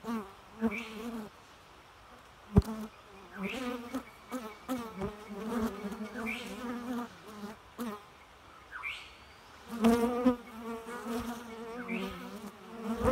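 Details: Bees buzzing continuously with a low harmonic drone that swells and fades as they move about, brief rising whines and occasional sharp clicks scattered throughout.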